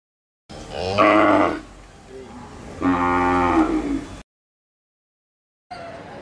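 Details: Young Hallikar stud bull with milk teeth at the Siddaganga cattle fair in Tumkur, giving two loud, rich, harmonic moos about a second and a half apart, each lasting around a second, over soft fair murmur, then a pause and brief crowd noise.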